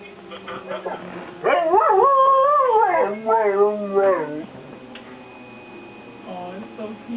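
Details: Pet dog howling along to monthly tornado warning sirens, tonal wavering howl rising and holding near one pitch for about three seconds, then softer wobbling howls, with a steady siren tone in the background.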